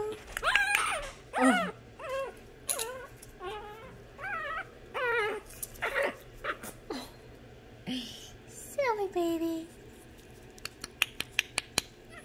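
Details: Imperial Shih Tzu puppies kept behind bars give a run of high, wavering whimpers and yelps, each bending up and down in pitch, coming about once a second, with a soft human voice and clicks in between.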